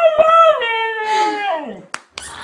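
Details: Mishka, a female family dog, vocalizes 'I love you' indoors: a wavering howl that rises, holds, then slides steeply down, followed by a few sharp clicks and brief noise.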